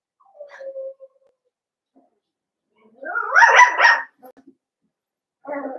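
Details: Young blenheim Cavalier King Charles Spaniel puppies, one of a litter of five in an indoor pen, give a thin whine followed by a burst of three quick, bright, rising-falling yaps, then a lower yelp at the end.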